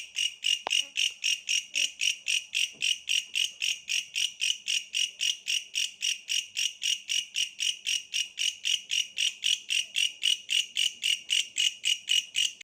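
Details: Bush cricket in the countryside calling continuously with regular high buzzy pulses, almost four per second, a brief click near the start and faint background sounds.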